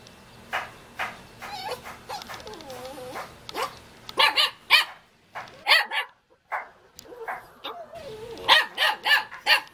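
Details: Jindo puppy in Jeonju, North Jeolla, Korea, wagging its tail and calling to play: high yips and short barks mixed with wavering whines.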